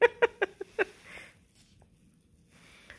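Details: Bluetick Coonhound puppy, excited about his treat bone indoors, gives five short, high, harmonic yelps in quick succession over the first second, then falls quiet apart from faint rustling.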